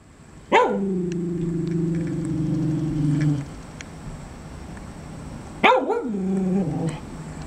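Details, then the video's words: A dog gives one sharp bark that drags into a long, steady, low moaning tone for about three seconds. After a pause it gives a second sharp bark with a shorter tonal tail. "Who are you barking at?"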